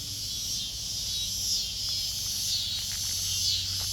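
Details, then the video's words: Backyard cicadas singing near kittens, a continuous shrill high-pitched buzz that swells gently about once a second, over a soft low background hum. "Cicadas singing to the kittens in backyard"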